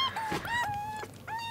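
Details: Rescued kittens on their second day in care after being found soaked on a road, competing for milk: loud, clear meows, some falling and some level, one after another, with a person speaking soothingly in Japanese.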